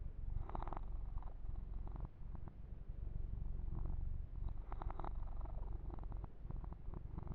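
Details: Purring of Yumak, a young male kitten, during a massage with fur grooming; continuous deep rumble throughout, with brief rustling strokes of hands on fur early on and again midway.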